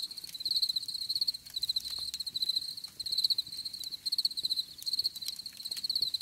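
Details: Cricket sounds for relaxation: shrill pulsed chirps in short rapid bursts about every half second, evenly sustained high tone, with faint low rumble and scattered clicks in the background.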